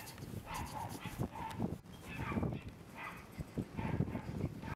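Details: Red male Shiba Inu puppy, 41 days old; short, high, tonal whimpering yelps, one roughly every second, over a low rumbling background.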